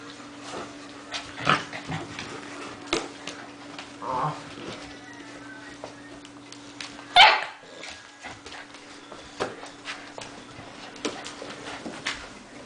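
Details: Six-week-old puppies barking; scattered short sharp yaps and barks, loudest near seven seconds, with a low steady hum beneath and faint voices.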